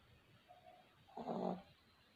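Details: A sleeping puppy gives a single rough, breathy snore lasting about half a second against a low hiss.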